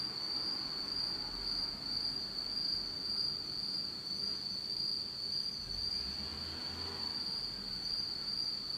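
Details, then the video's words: Insects singing on an autumn night in Japan, in total darkness: a steady, continuous high trill holding one pitch throughout, with a faint low rumble underneath. "真っ暗闇の秋の虫の声 Beautiful sound of insects in the fall of Japan in total darkness."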